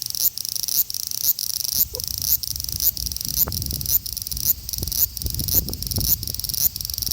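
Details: Male large brown cicada in Osaka city, Japan, 5 August 2019, Xperia XZ1 phone: high sizzling bursts cut by short gaps about twice a second, giving a choppy, stuttering rhythm over low rustling.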